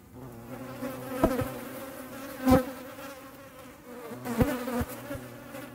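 A European hornet's low, steady droning buzz, broken by a few sharp taps.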